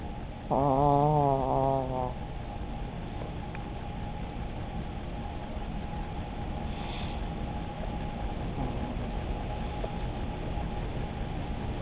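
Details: Old chihuahua Starkey asleep and dreaming, chewing in her sleep; one brief wavering, whistly snore near the start, then quiet breathing and room noise.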